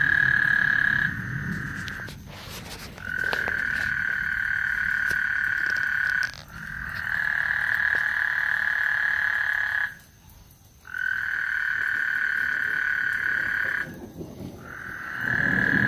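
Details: Frogs singing on Lake Houston as a thunderstorm approaches, delivering a run of long, steady, buzzy trills of two to four seconds with brief pauses between them, a few sharp clicks and low rumbling in the background.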